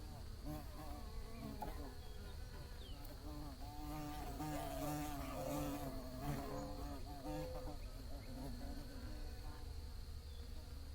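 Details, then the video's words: Bees buzzing in a continuous soft, wavering drone that rises and dips in pitch, with faint short chirps scattered through it and a constant high whine and low rumble behind. "Bees Buzzing Sounds"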